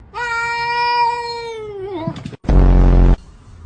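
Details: Orange cat giving one long, drawn-out, steady meow lasting nearly two seconds, sliding downward at the end, then a short break and a loud harsh burst of noise; quiet room afterwards.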